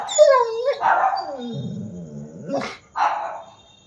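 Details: An angry, aggressive Rottweiler gives a drawn-out whining cry, drops into a low rumbling growl, then snaps out two sharp barks.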